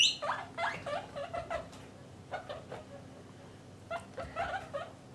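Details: Pet guinea pigs, a parent and young kept indoors in separate cages for males and females, giving a quick run of high rising squeals in bursts, some overlapping, with a short pause midway before a second cluster.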